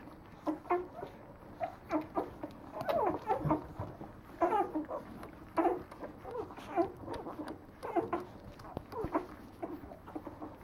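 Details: Leonberger litter at nine days old in a French kennel: a busy stream of brief squeaky cries and grunts from several pups, rough and uneven, with a short louder cluster near the middle and faint shuffling.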